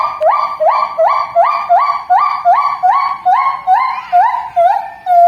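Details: Javan gibbon calling in a siren-like series: pure whooping notes rising and descending, repeated about two to three times per second, each note sliding upward then holding, pitch gradually shifting across the sequence.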